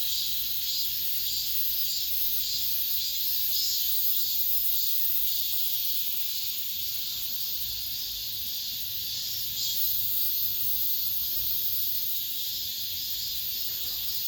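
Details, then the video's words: Cicadas singing at the end of summer inside an apartment complex: a dense, continuous high-pitched buzzing chorus that swells and fades slightly in waves, with no other clear sounds. "올 여름 마지막 매미소리"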